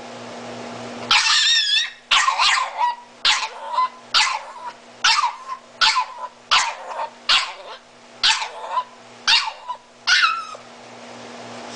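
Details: A Miniature Italian Greyhound, disabled and blind, screams for mommy after a near-silent second: a run of about ten rapid, high, quavering cries, roughly one per second, some with wobbling harmonic whistles.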